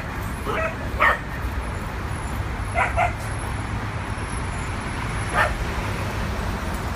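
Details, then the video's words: Bark bursts from two adopted dogs at play during a first trip to a New York City dog park, a few sharp yaps spaced seconds apart against constant low traffic hum. "Adopted Dogs Play At NYC Park for the First Time"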